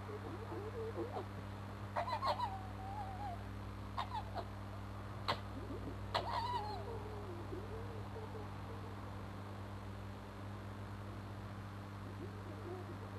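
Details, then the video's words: A fox named Crooked-Tail in a scrap beneath a bedroom window, giving rough, strained screeches in three separated bursts about two seconds apart, each short and scratchy, then quieter wavering whines over a constant low hum. "Fox Fisticuffs with Screaming Abdabs"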